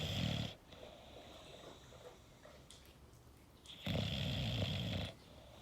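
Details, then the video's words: An English bulldog snoring, likely indoors in a small room: a loud, rough, rasping snore at the start, then a quiet breathy stretch, then a longer, heavier rattling snore about three seconds later that lasts over a second. "English Bulldog Snoring"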